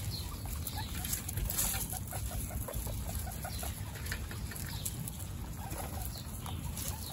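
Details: Adult guinea pigs meet the newborn guinea pigs Snow, Pistachio and Pumpkin for the first time. Quick mid-pitched chirps and short squeaks come in loose bursts from several animals over dense low rustling of bedding.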